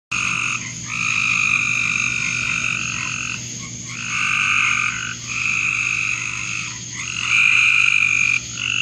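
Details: Frogs in a backyard call in dense, overlapping bursts of bright, buzzy trills that swell and fade every second or two.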